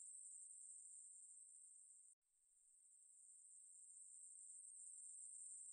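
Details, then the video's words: Ruspolia katydid song, National Institute of Biological Resources, 2020: a high steady buzz that cuts off abruptly for a split second, then swells gradually back to full strength and continues evenly. "매부리, 여러번 듣기, 곤충소리"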